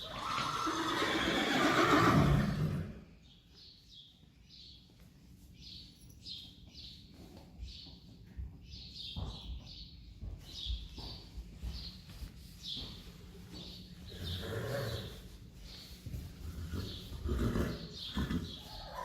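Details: Friesian horse herd, May 5, 2019, with the horses asking to go outside and a young one seeking its mother. A loud, rough neigh opens, then fades into a long run of quick, regular high chirping ticks with scattered low thumps.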